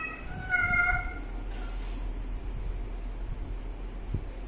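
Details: Young kitten drinking water lets out a single brief, clear meow near the start, followed by a steady low rumbling background and a soft knock near the end.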